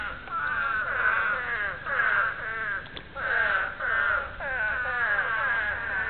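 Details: Breeding call of spadefoot toads, many calling together: drawn-out, bleating, mid-pitched moans with wavering harmonics overlap continuously, pulsing louder around 1, 2, 3.5 and 4.5 seconds.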